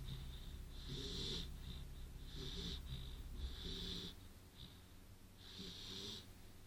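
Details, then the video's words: Beagle named Bublik snoring in his sleep indoors after a good walk; wheezy, snorting breaths recur about every second and a half, each carrying a thin high hissing whistle over a low rumbling rasp. "Храп бигля во сне"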